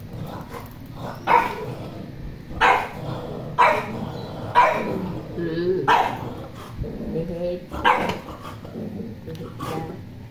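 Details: A poodle gives a run of loud, sharp barks, roughly six over ten seconds at uneven intervals, with human speech and low room noise in the background between the barks.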